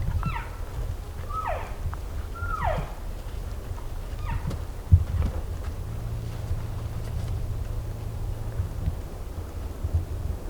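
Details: Group of elk drawn in by hunters in Colorado; four short, descending squealing mews come in the first five seconds, each falling quickly, then steady low rumble and faint rustling fill the rest.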